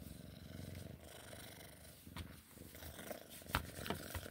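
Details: Sphynx cat purring while playing: a clear, rhythmically pulsed low rumble for the first two seconds, then quieter purring under sharp tapping and rustling noises.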